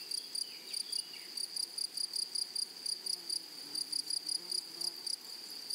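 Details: In flowery prairie grassland, grasshoppers produce rapid high-pitched buzzing pulses, several each second, over a constant shrill tone; a few faint sliding whistles sound briefly near the start.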